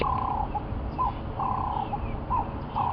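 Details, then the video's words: Tree squirrel in a tree across a dam, watching lions and giving a 'chee ticket' alarm to warn other creatures of danger; short chattering bursts repeat about every half second to second over low background rumble. "He's obviously looking at those lions and he's going chee ticket, chee ticket, chee ticket, chee"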